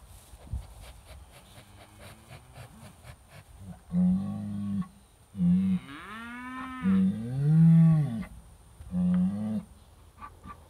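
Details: British White cattle, a herd moving through a trap area in July 2013, riled up by an old cow hide hanging on a hay ring, filmed by phone; several loud drawn-out lowing moos in quick succession, some rising and falling, with faint clicks between.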